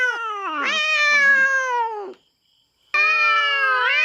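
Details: Feral cat invading a farm cat's territory in the Philippines, fighting: a bright drawn-out yowl wavering in pitch, a short silence, then another rising yowl.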